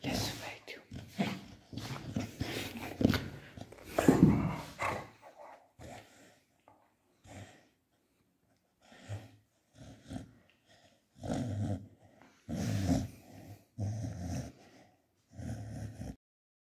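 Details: Pet Beagle Tubby argues with his owner over a calcium bone, giving low grumbling growls and gruff vocal bursts in clusters with quiet gaps, while a person's voice comes in between.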